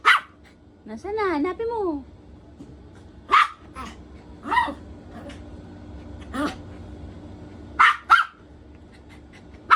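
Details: During hide and seek, a poodle barks repeatedly at irregular intervals, single and paired sharp barks, while a high voice calls out in between.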